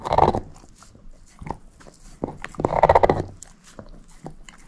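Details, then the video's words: Moose the shepherd mix crunching a bone: two strong bursts of rapid grinding crunches, one at the start and one in the middle, separated by lighter sharp bites. "SHEPHERD EATING BONE ASMR"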